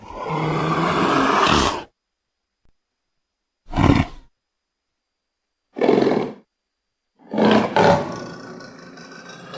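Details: A leopard (Panthera pardus) gives rough, rasping roars in short bursts separated by silence.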